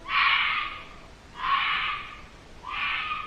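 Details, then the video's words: Red fox screaming, heard while filming and frightening to hear: three harsh, hoarse screams, each lasting about a second, repeated roughly every 1.2 seconds with short gaps between them. "Le bruit qu'il y a eu là, c'était le bruit d'un renard roux."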